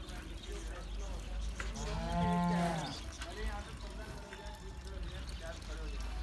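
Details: Sahiwal and Cholistani bulls at a cattle farm before Eid ul Adha 2018. One long, deep, harmonically rich moo rises and falls over about a second, against steady low background rumble and faint murmur.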